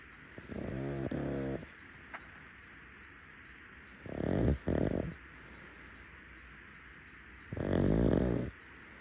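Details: Pug, a rescue dog, napping on a futon in the daytime, snoring in three rough, rasping bursts about a second long, spaced roughly three seconds apart, with quiet breathing pauses between them.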